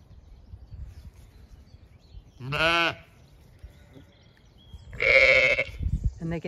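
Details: Zwartbles ewe at lambing time on a regenerative farm in County Kilkenny, Ireland, answering from a distance in a garden paddock, apparently calling for her lamb: two loud, wavering, nasal bleats about two seconds apart over quiet outdoor background.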